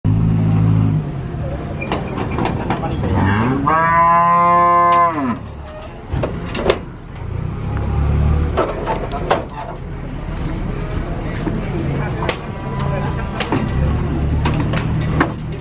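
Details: Cattle being unloaded from a truck: a loud, drawn-out harmonic moo rising then holding for about two seconds, followed by lower grunting moos, with clattering hooves, knocks and engine rumble throughout.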